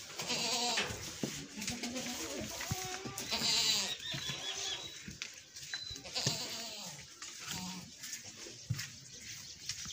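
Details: Goat being milked, bleating repeatedly in a run of quavering, harmonic calls in the first seconds, then quieter, with clattering, rustling farmyard noise and a faint high tone.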